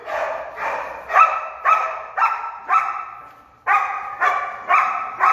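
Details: Storm, a female German Shepherd trained as a protection dog, barks in a steady run of loud, harmonic barks about twice a second, with one brief pause midway before the barking resumes just as forcefully.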